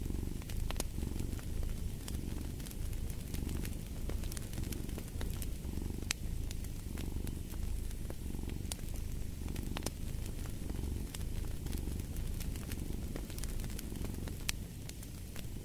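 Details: Domestic cat purring steadily, a low throbbing rumble swelling and easing in breath cycles roughly every second and a half, with sharp crackles and pops from a fireplace scattered throughout.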